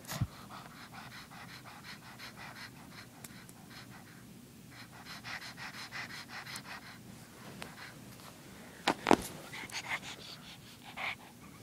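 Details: Female pug puppy panting steadily in a small room, rapid rhythmic breathy puffs through the clip, with a sharp louder snort near the ninth second and a few wheezy bursts toward the end.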